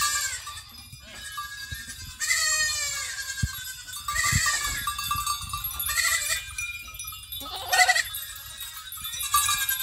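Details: Goats coming back home, several bleating calls rising and falling, some wavering, scattered across the clip with overlapping voices, sharp knocks and clatter, and a person laughing softly at the end.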